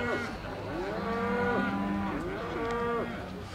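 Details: Charolais heifer, 18 months old, giving two full moos about a second and a half apart. Each is a rich, nasal low that rises and then falls away, with a faint murmur between them.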